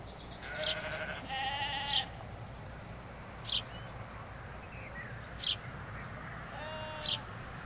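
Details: Sheep, ewes with their lambs in a field in the Hampshire countryside, recorded from a hedge: two long, wavering, harmonic bleats early on, later a softer bleat, with sharp bird chirps repeating every couple of seconds and a low rumble of traffic.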